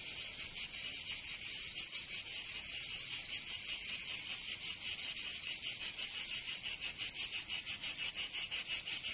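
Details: Cicada song on a summer day in Provence, southern France. A continuous, sizzling, high buzz pulses quickly and somewhat irregularly, the beats growing more distinct toward the end; no other sounds.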